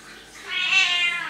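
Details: Domestic cat, presented as a talking cat, gives a single drawn-out meow lasting under a second, a bright, high, harmonic tone that swells and then tapers off, in a quiet indoor setting.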